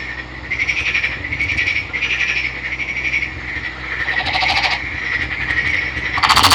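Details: Captive green male Nagoya Daruma pond frog, netted from a river, gives repeated short pulsed trilling bursts about every half second, growing louder, with a harsh rasping burst at the end.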